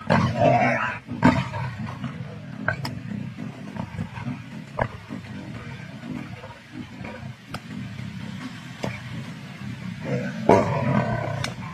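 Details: Lions of the Kambula Pride feeding together on 16 February 2024, giving low, rasping growls and snarls in irregular bursts, loudest at the start and near the end, with sharp clicks and tearing sounds between.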